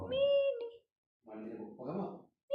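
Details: A domestic cat in Croatia, possibly a stray, gives a steady, drawn-out meow, then a person speaks and another meow begins.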